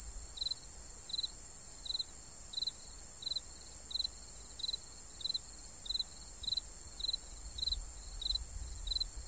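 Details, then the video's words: Crickets chirping at night: short, high, bright pulses repeated evenly about every half second over a steady, shrill, high insect hiss, with no other animals or voices. "Real Cricket Chirping Sound | Cricket Noise"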